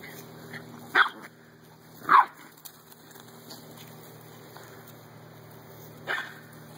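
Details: Dogs in a backyard, a Dalmatian, an American bulldog and a Chihuahua, playing together; three sharp barks about a second apart, then a pause before one more, over a low steady hum.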